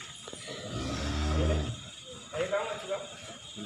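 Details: Jumbo cow named Wisanggeni on its way to the home of Irfan Hakim: one deep, low moo of about a second, steady and richly harmonic, with talking and background rumble around it.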